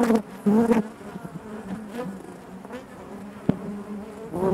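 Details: Close buzzing bursts from individual honey bees over the continuous hum inside the hive, loud at the start and again at the end.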